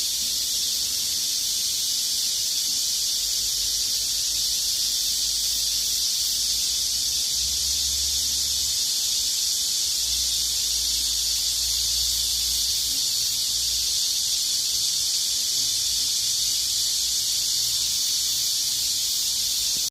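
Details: A sustained chorus of cicadas in the sweltering height of summer: an even, piercing buzz lasting the whole stretch without a pause, over a soft low hum in the middle part.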